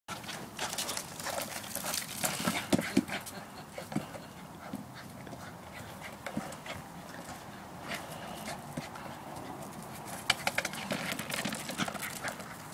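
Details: Casper, a West Highland White Terrier kept by grandparents, plays with a basketball; steady rapid panting mixed with scuffling, clicking bursts of paws and ball, faint human voices in the background.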